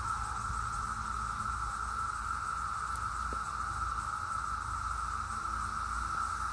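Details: 17-year periodical cicadas, flying and massed together, make a continuous high, even drone, a single sustained whine without pauses or pulses, over a faint low rumble.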